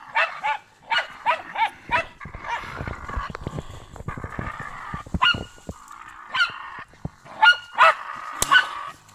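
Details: Sharp yapping barks from German Hunting Terrier Brita: a quick run of five opening the recording, a clattering pause, then more scattered yaps and a loud final bark.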